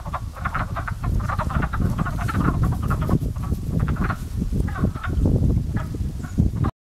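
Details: Frogs in a pond coming to life near the start of spring, first mistaken for crows: a dense chorus of short, rough croaks repeated rapidly and overlapping throughout, with steady low rumble beneath.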